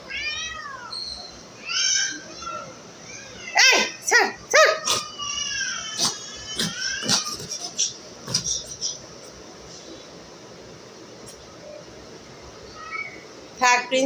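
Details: Domestic cat giving several falling, harmonic meows in the first seconds, followed by short chirping cries and scattered clicks, mixed with a woman talking in Bengali; quiet room noise fills the second half before a final brief cry.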